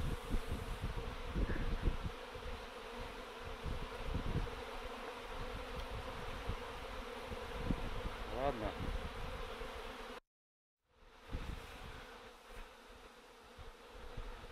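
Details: Swarm of honey bees circling in the open air without settling: a steady droning hum with a low fundamental and brighter overtone, broken by low thumps of handling and wind and a brief dropout near the end.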